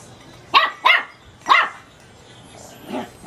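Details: Chihuahua puppy of teacup size barking at a bulb: three sharp, high yips close together, then a softer, lower bark-like sound near the end.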